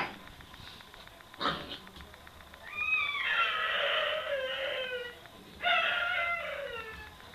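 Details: Chika's pup, a young Hokkaido dog, faces off against a vacuum cleaner: a brief noisy yelp, then two drawn-out, whining howls with stacked harmonics sliding downward, the second one shorter.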